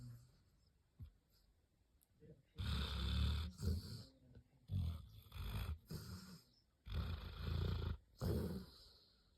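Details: A black Labrador Retriever dreams in its sleep, giving low, gravelly snores in repeated bursts roughly a second long, split by short silent gaps, each with a buzzy, rattling breath.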